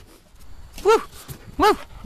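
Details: Quincy, a Standard Poodle, enjoying himself at play: two short, arched, whining yelps, each rising then falling in pitch, about 0.7 seconds apart, with a soft rustle and faint background murmur between them.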